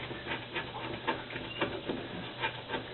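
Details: Henry, a dog, pants rapidly while being talked to and given commands at home, a quick rhythmic run of breathy huffs, about two per second, with faint room noise.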